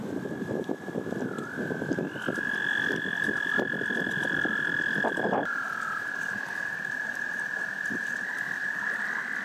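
Frogs croak in a dense, rapid chorus over a steady high trill, calling to attract mates.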